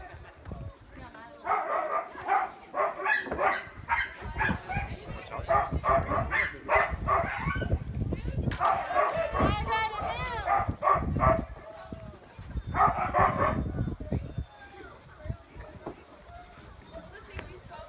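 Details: Many sled dogs at Caribou Crossing Trading Post in Canada's Yukon Territory bark excitedly, eager to pull a training cart; dense, overlapping bursts of barks and yips in waves, with a lull near the end and people talking.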